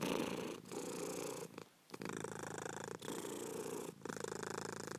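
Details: Purring cat, close and steady: a dense rumbling drone in long phrases, with one clear silent breath pause near the middle and slight rhythmic breaks.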